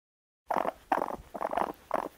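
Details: Raccoon giving four quick, gravelly, purring bursts after a short silence, each rough and throaty, spaced about half a second apart.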